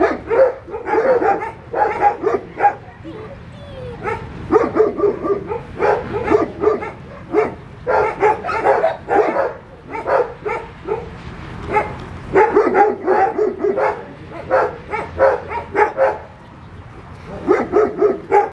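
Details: Puppies and Cereja barking in choppy clusters, bright yapping bursts of three to six barks separated by brief quieter gaps, voices tumbling over one another.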